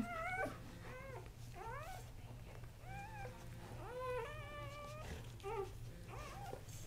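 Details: Three male Kuvasz newborns, born October 30, 2008, cry in a run of piercing squeals, some swooping upward and others held flat, coming every second or so over a steady low background hum.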